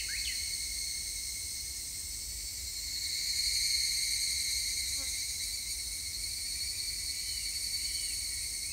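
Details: Evening cicada singing, recorded 3 August 2021: a steady high buzzing chorus with tonal bands that swells in loudness around the middle and fades again, with a few soft bird whistles.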